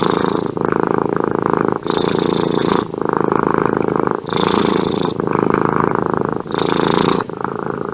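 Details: Domestic cat purring with pleasure: a loud, continuous rumbling purr in long bursts, broken by brief pauses roughly every one to one and a half seconds as the cat breathes.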